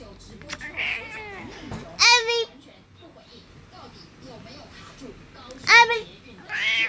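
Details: A 14-year-old female domestic cat in Taoyuan, Taiwan, on February 19, meows loudly each time her owner kisses or hugs her, giving two drawn-out, harmonic meows in protest, with faint human voices behind.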